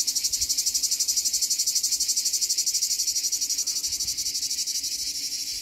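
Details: Plebeian cicada (Lyristes plebejus) singing at Donzère, Drôme, France, on 26 July 2021: a loud, harsh, pulsing buzz throbbing about four times a second.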